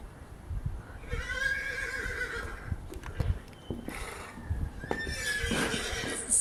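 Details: Horses reacting to a horse ringtone: a long quavering whinny lasting nearly two seconds, followed by scattered knocks and clip-clop sounds, then a second shorter neigh near the end.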